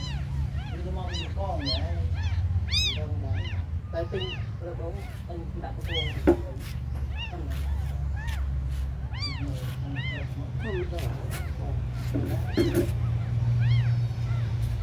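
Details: Several very small abandoned kittens cry in thin, rising-then-falling mews, some strong and clear, others softer, coming every second or so over a constant low background hum.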